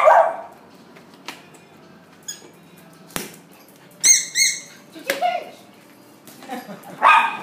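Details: Schnauzer barking indoors, with a harsh bark at the start and another near the end. High, squeaky chirping bursts and scattered clicks fill the quiet between them.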